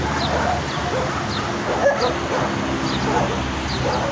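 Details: Aggressive barking from angry dogs, sharp barks repeating roughly every half second amid continuous overlapping yaps and a loud, noisy background rumble.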